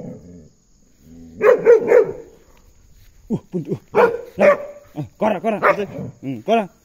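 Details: Belgian Malinois named Puntu barking while escorting an ox out: a burst of sharp harmonic barks, then quick irregular barks clustered toward the end, with a low lowing-like sound early on and voices giving commands.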